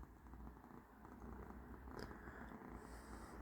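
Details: Domestic cat named Persyk, indoors during hot weather, lying limp after a wet towel was laid out for him, purring in a steady low rumble that runs unbroken throughout, with a brief soft click near the end.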